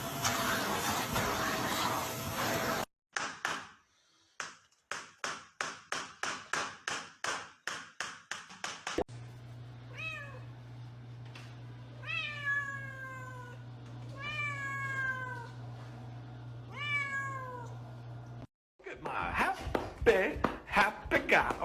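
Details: Cat giving a series of thin, high mews, each sliding downward and lasting under a second, repeated about every second and a half over a steady low hum, after a stretch of rhythmic tapping.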